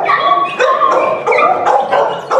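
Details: A Pit Bull pet with high drive, raised loose and newly arrived, gives a run of high, yelping barks, as it often does when it wants to be let loose.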